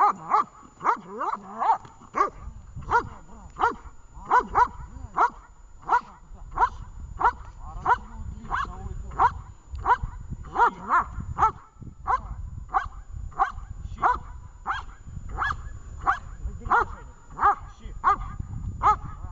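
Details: Vesta, a dog in training in Horlivka, barks in a steady run of sharp repeated barks, about one and a half per second for nearly twenty seconds, while a handler speaks quietly in the background.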